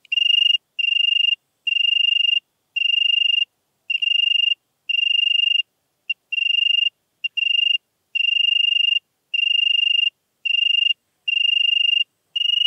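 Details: European tree cricket singing in Venezia, Italy, on 2 September 2021: steady, evenly pulsed trilled phrases of roughly half a second to a second each, separated by short pauses, with no other sounds.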